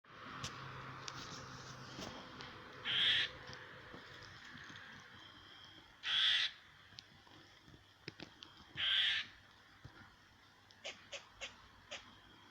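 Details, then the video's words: A squirrel making noises directed at a cat: three short, harsh, hissing bursts spaced about three seconds apart, with faint clicks and background rustle between them. "Squirrel making funny noises"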